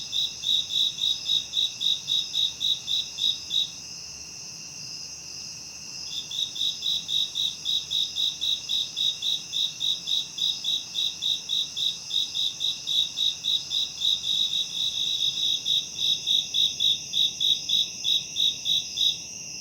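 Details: Shrill cricket chirps offered as a high-frequency tinnitus masking sound, beating in even pulses almost four times a second above a constant high whine, pausing for roughly two seconds near the start, then continuing steadily.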